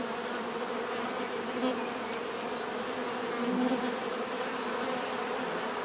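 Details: Bees buzzing together in a dense, steady drone of many overlapping low hums, swelling slightly near the middle and again toward the end. A thin, faintly pulsing high whine runs throughout.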